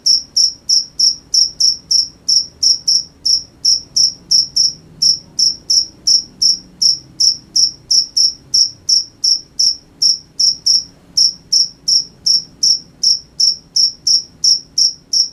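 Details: Continuous cricket chirping after dark: high, ringing pulses keep a steady beat of about three per second for the whole stretch, with only a faint low background hum.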